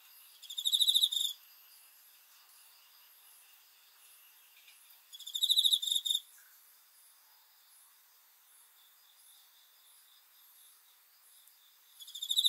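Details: Cricket at night: high, pulsed trills in bursts of about a second, separated by gaps of four to six seconds, with a faint hiss of other insects between bursts.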